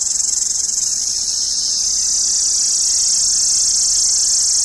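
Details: Indian summer cicadas give a loud, steady, high-pitched shrilling drone that fills the air without pause; cicada.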